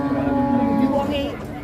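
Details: Cattle at Pasar Ngawi market in Indonesia in the morning: a low, steady, drawn-out moo lasting about a second, with a man talking and market bustle around it.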